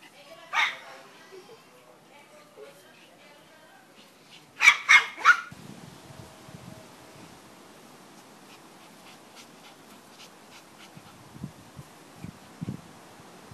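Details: Playful Pomeranian puppy gives one shrill yap, then a rapid burst of three or four high barks, followed by soft shuffling, light knocks and a human voice in the background.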